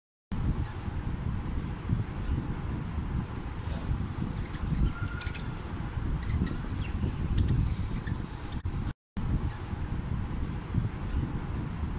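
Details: Only a dense low rumble like wind or passing traffic fills the recording. A brief gap in the sound comes near the end, and no animal voice stands out.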